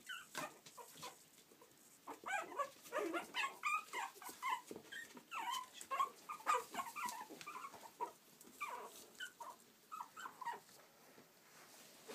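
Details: Yorkshire Terrier puppies at play in Stockport, Cheshire, UK, making quick irregular high yips and thin whimpers, roughly two a second, over a soft hissy background.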